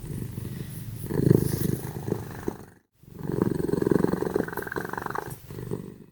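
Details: Sleeping cats Simba and Prissy snore very loudly, a coarse, low throaty rattle rising and falling with each breath, broken by an abrupt moment of total silence before the rumbling resumes.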